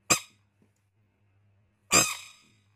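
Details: A baby rain frog gives two short, harsh squeaks about two seconds apart.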